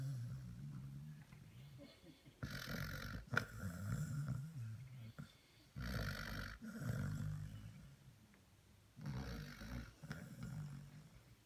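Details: Basset Hound puppies sleeping, snoring in long rough, rumbling breaths; three loud snores arrive a few seconds apart with quieter, softer breathing between them.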